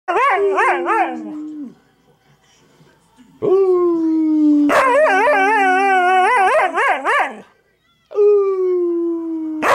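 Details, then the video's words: Pet dog trying to howl: long sliding tones near the low register broken by wavering, yodel-like warbles, three bouts separated by short silences, with a person's laughter afterwards. "tryin to howl"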